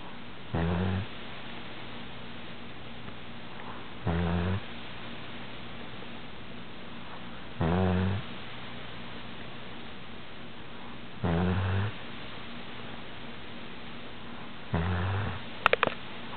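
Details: A pet cat snoring; low rumbling snores about every three and a half seconds, each lasting under a second, with quiet breathing between and steady background hiss.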